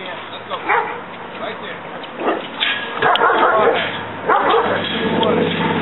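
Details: German Shepherd at a kennel, guarding the gate to keep intruders out; a few scattered, irregular barks and yips rising in intensity after three seconds, with a person talking.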